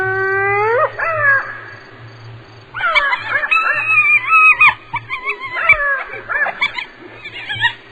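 Hyena giving rising, whoop-like tones, then a burst of squealing, wavering giggles with sharp pitch bends.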